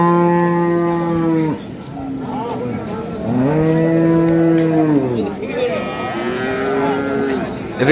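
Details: Dairy cows of improved breed, sold with calves at Ambari market in Parbatipur, Dinajpur, 28 April 2025: three drawn-out lowing moos in quick succession, the middle one rising then falling, over a busy background of crowd noise.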